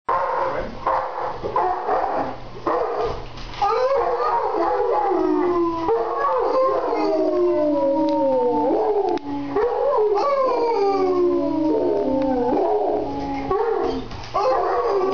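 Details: A mastiff howls together with a man seated in a chair: long wavering howls that slide downward in pitch, overlapping and repeated through the stretch, with brief breaks between phrases.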